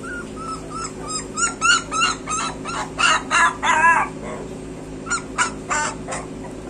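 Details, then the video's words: Several street dog puppies cry in a run of rhythmic, wavering whines and yips, about three a second, rising into a longer quavering wail before short cries resume; faint background hum. "street dog puppies"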